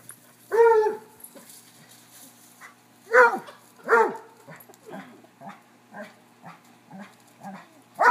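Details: Three dogs, a Cocker-hound, a Basset and a corgi, playing chase: a loud bark, then two strong barks close together after a gap, followed by a run of softer, rhythmic barks.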